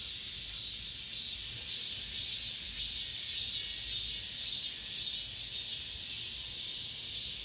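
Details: Cicadas singing in an apartment complex in late summer, the last of the season: a dense, continuous high-pitched buzzing hiss, pulsing gently about twice a second, with no other clear sounds.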